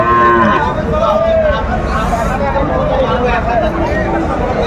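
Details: Sahiwal bull calves for sale at a Faridpur cattle market, Bangladesh, 5 January 2025. Two short, arched lowing calls about a second apart, half-buried in dense market hubbub and talking.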